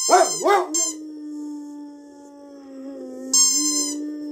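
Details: Sanza, a female dog, answers a squeaky toy with two short wavering yelps that settle into a sustained, level howl, and the toy squeaks again near the end.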